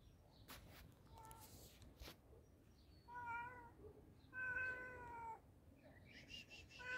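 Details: Hungry pet cat being fed, giving two clear tonal meows, the first short, the second longer and drawn out with a slight falling end, amid soft clicks and rustling from eating or handling.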